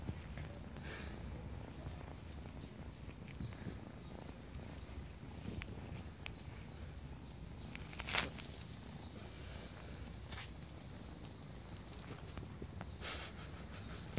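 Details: Neighborhood kitten, a female, at play with a person, purring in a continuous deep rumble; occasional light clicks and a short sharp knock near the middle break over the purr.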